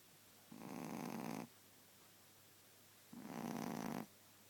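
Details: Shih Tzu dog asleep indoors, snoring loudly: two long, rough, rasping breaths about two and a half seconds apart, each lasting around a second, with quiet between.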